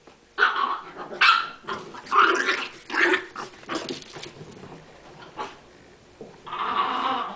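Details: Chihuahuas playing, giving short growly barks in a loose burst over the first few seconds, then quieter snarling and a drawn-out growl at the end.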